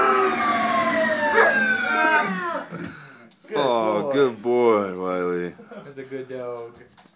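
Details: Alaskan Malamute named Wiley howling to sirens indoors: a long sliding wail at first, then wavering, harmonic-rich howls rising and falling in pitch, broken by short pauses, after a person praises him as a good dog.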